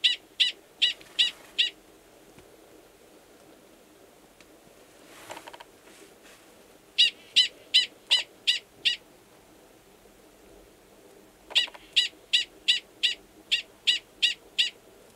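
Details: In a roughly ten-minute mating bout, male Gunnison's prairie dog 45 calls near a burrow holding an estrous female, New Mexico's Valles Caldera, March 2017; bursts of five to seven rapid, piercing barks separated by quiet pauses.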